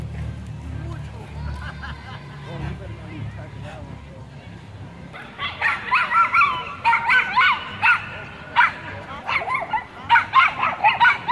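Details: Group of Chihuahuas protecting their turf against a Pit Bull and a German Shepherd: low rumbling background and talk at first, then a dense burst of shrill, overlapping yapping barks from several small dogs in the second half.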